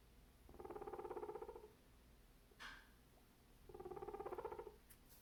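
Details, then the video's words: A male guinea pig gives two low, buzzy, rapidly pulsed grumbles, an annoyed rumbling sound, at cantaloupe; the owner suspects he was upset by background noise. "Guinea Pig Makes Grumpy Noises at Cantaloupe"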